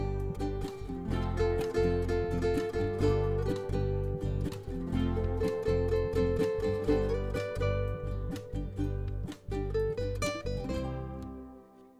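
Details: Upbeat plucked guitar or ukulele music with a steady strummed rhythm, and no animal voice.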